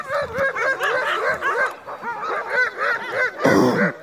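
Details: Crossbred husky mixes pulling a dog sled on a night run in heavy snow give a quick string of arched, ringing yelps, about four a second, closing with a short burst of harsh noise.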